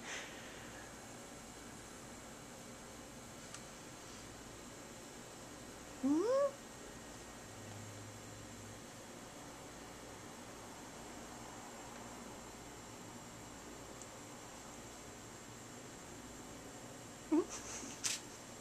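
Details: Pet cat named Mischief giving two short meows in a quiet room: a rising, whistle-like call about six seconds in, then a brief second call near the end, with long silent stretches between.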